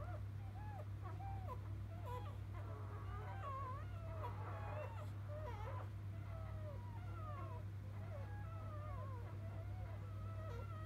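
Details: Softer, more distant squeaks and thin wavering whines from newborn field-type Labrador Retriever puppies of mother Biscuit, many overlapping, over a steady low humming background.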